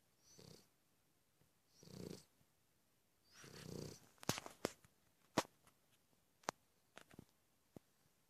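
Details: Cavalier King Charles Spaniel asleep and snoring: three drawn-out, raspy breaths, each longer than the one before, then a run of sharp clicks and taps, likely handling or movement noise.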